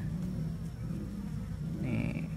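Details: Swarm of Asian honey bees (Apis cerana, Apis indica) that recently split from its mother colony, climbing into a box while being transferred. A thick, even low droning of many wings fills the recording, and a faint thin tone appears near the end.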